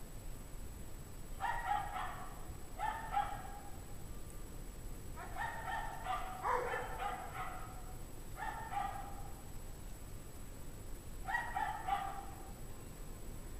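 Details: Unhappy dogs in a pack bark at 5:00 PM on Friday, January 9, 2009, at 17 degrees Fahrenheit. Five distant bursts of doubled barks arrive at uneven intervals over about twelve seconds, set against a low droning rumble.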